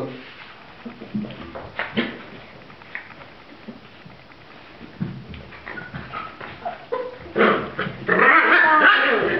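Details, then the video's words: Sealyham Terrier puppies recorded on 16 October 2010, giving short thin whimpers and squeaks scattered through the clip, with a louder burst of squealing near the end and a person speaking quietly in Hungarian. "sealyham puppies"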